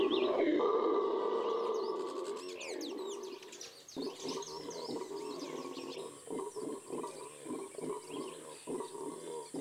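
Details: A Venezuelan red howler monkey (Alouatta seniculus) of the Amazon gives a deep, drawn-out roar that breaks into rhythmic grunting pulses.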